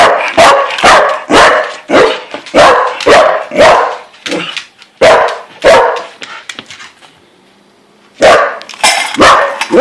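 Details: Corgis bark excitedly at dinner time after hearing the word "dinner", a daily scene three times a day. The barks come in quick, sharp bursts, about two a second, then pause before starting again.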